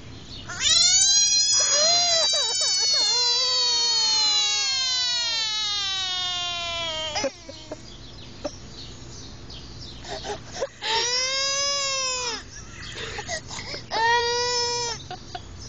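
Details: American bullfrog screaming: loud, drawn-out wailing cries with many stacked harmonics, the first sliding slowly downward for about six seconds, then shorter arched screams after a pause, with faint background noise.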